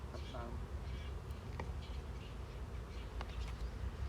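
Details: A beekeeper's hive of honey bees opened for honey harvesting produces a dense, continuous low drone that holds even, with faint higher rustling and a few light taps above it.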